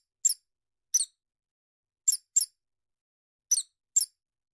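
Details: Six sharp, high squeaks from a field mouse, some single and some in quick pairs, roughly a second apart, in otherwise complete quiet.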